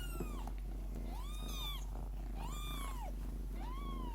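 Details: Lykoi cat mother purring with her litter of kittens: a steady, low, rumbling purr runs throughout, overlaid by thin kitten mews that rise and fall in arcs, roughly three or four in just over four seconds.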